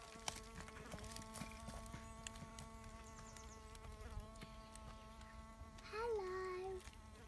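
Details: Bee fly (Bombylius major) at sand, probing; a constant low buzzing drone with layered overtones runs throughout, broken by scattered clicks, and a short wavering whistle from a bird near the end.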